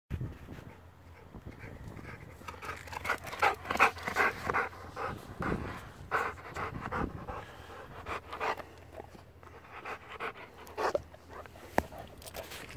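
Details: Bernese Mountain Dog panting steadily: rapid breathy huffs, about two to three per second, uneven in loudness, with a faint low hum underneath and a sharp click near the end.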